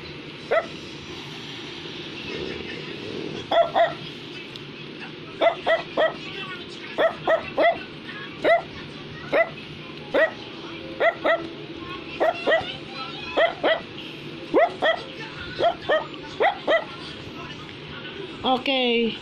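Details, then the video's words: Brussels Griffon barking indoors in short, sharp yaps, often in pairs or triplets, spaced about a second apart over the whole stretch, with a low steady hum underneath. "Brussels Griffon is Barking"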